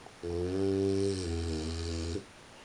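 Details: French Bulldog snoring while asleep at 3:45 in the morning: a single drawn-out, deep, rumbling snore lasting about two seconds, with a steady low buzzing tone that drops slightly partway through, over quiet background hiss.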